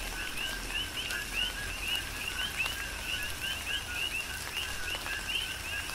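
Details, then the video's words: Coqui frogs on the Big Island of Hawaii calling in a rhythmic chorus during a tropical rain shower: repeated two-part chirps, a lower note followed by a higher rising whistle, overlapping from several frogs, over a steady hiss of rain. "Tropical Rain & Coqui"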